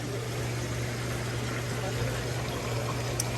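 A steady low hum of pumps and bubbling water fills the air, with no animal voice.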